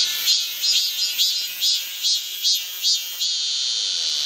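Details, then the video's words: In midsummer on Galsan hill in Gochuk-dong, Seoul, a cicada's harsh, high buzzing pulses about twice a second, then settles into a steady drone. "한여름의 매미 소리 오늘의 선물 / 청량 음료같은 시원하고 맑은 서울 고척동 갈산의 매미 울음 소리 / 구독 좋아요"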